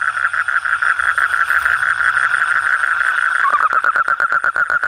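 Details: Frog calling at night, a steady run of short mid-pitched pulsed croaks, about three per second, that quicken into a tighter, faster rattle over the last second and a half.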